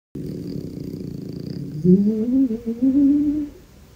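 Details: Kartoshka, a pet dog belonging to Anfisa Chekhova, snoring while asleep indoors: a low buzzy drone for nearly two seconds, then a higher wavering tonal whine in short pulses until it fades out.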